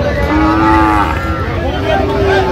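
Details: Sahiwal cattle at a cattle market in Cumilla, Bangladesh, on 28 August 2025, where bull calves are being bought: a long, steady, low moo with rich harmonics, then a second, higher drawn-out tonal call, over constant market murmur.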